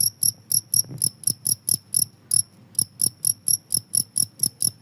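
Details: Shrill cricket chirps, said to frighten rats away, pulse about twice a second in an even, ringing series with one short break and soft low taps beneath.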